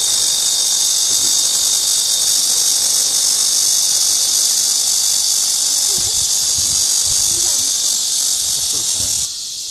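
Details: In midsummer, cicadas fill the air with a dense, shrill, continuous buzz that holds level without pause; faint low thumps and murmurs sit beneath it toward the end before the drone drops slightly at the close.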